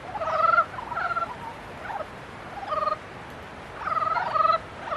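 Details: Frogs calling in mating season: short, rattling, pulsed croaks of about half a second each, arriving in a few bursts with quiet gaps, some overlapping as several frogs call together.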